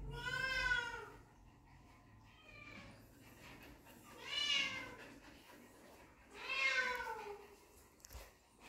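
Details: Puppies meeting their dad for the first time give three loud, arched, harmonic whines, each rising then falling and lasting under a second, spaced about two seconds apart, with a softer cry between them over a quiet background.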